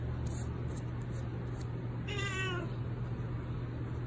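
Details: Aged 19-year-old former stray cat with a spinal disc problem, arthritis and cystitis, meowing around mealtime: one short, quiet, wavering meow midway, over a steady low electrical hum.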